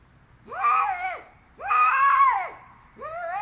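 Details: Female cat screaming indoors: three drawn-out, harmonic-rich wails, each rising then falling in an arch and lasting about a second, separated by short quiet gaps, the third cut off as it begins.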